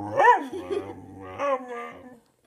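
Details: BB the whippet, hungry, whimpering and yipping: a sharp rising-falling yelp, then a lower sustained whine and a second bent, wavering cry that fades out.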